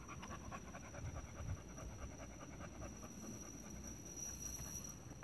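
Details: Pregnant female American Bully panting: quick, steady, rhythmic breaths repeated without pause throughout, with a faint high-pitched electronic hum in the background.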